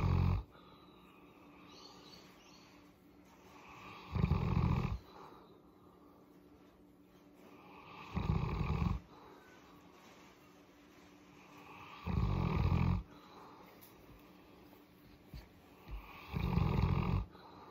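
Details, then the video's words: Boerboel named Molly enjoying a head massage, giving deep, throaty rumbles like snoring, each under a second and repeated about every four seconds, five in all, with soft breathing between and a quiet indoor background. "Boerboel Molly purring"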